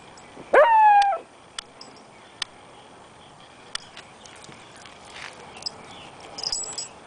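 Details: Beagle and Jack Russell puppies playing; one loud, high yelp that falls in pitch and lasts about half a second, followed by quiet clicks and small knocks of play.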